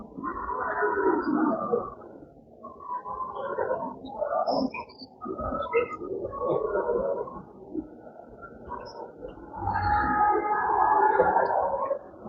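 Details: Santa Gertrudis calves bawl in long, rough, overlapping moos in the background at Bloem Show 2024, calling for their mothers after a long day while cows wait in the show ring.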